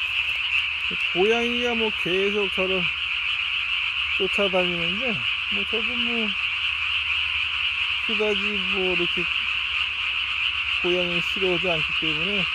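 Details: Japanese tree frog at night, 3 May 2020, throat sac ballooned to the size of its body; continuous high pulsed calling underlies repeated bursts of lower, wavering harmonic croaks from other frogs.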